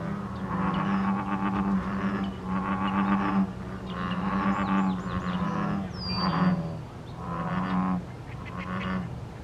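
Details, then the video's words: American bullfrog chorus of mating males, recorded 14 May 2023: deep, droning, overlapping calls in repeated pulsing bursts every second or two, forming a continuous low rumble, with a brief high bird chirp near the middle. "Bullfrog Chorus / An Ancient Love Song"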